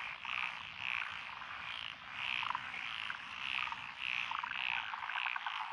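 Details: Frogs calling in lotus paddy fields in Echizen, Fukui Prefecture, Japan, recorded 12 June 2021. A mixed chorus that includes tree frogs and pond frogs. Clear rhythmic trilled calls repeat roughly twice a second over a steady, buzzing background chorus.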